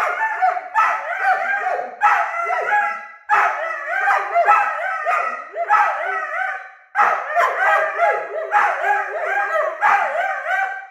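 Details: Two 9-month-old Weimaraner puppies squabble with a near-constant stream of wavering, whining, yodeling growls and sharp yips. The howl-like voices rise and fall in bursts about every second, with brief pauses between rounds.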